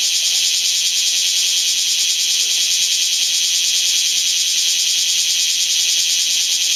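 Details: A few bear cicadas calling during a break in the rain amid typhoon winds from Typhoon No. 12, producing a steady, loud, shrill pulsing drone that never pauses across the clip.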